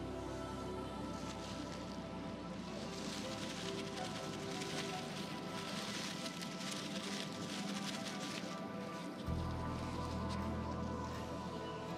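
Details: Soft atmospheric music over steady low background noise, with a thump near the end; no animal calls are heard.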